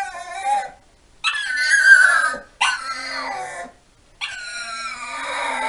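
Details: Staffordshire Bull Terrier, a pet dog coaxed with 'come on' and praised as a good girl, producing high whiny yowls. Four separate drawn-out bursts that sweep downward in pitch, divided by short silences.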